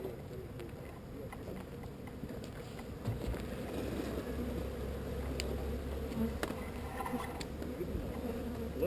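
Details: Swarm of honey bees during relocation from an unwanted spot, a thick continuous droning buzz broken by scattered light clicks and taps, the hum swelling slightly toward the end.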